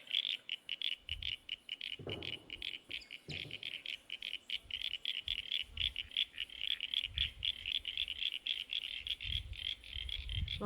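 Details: Chorus of frogs in a garden pond, a steady stream of rapid, high pulsed croaks continuing without pause, broken by a couple of dull thumps and faint low rustling nearby.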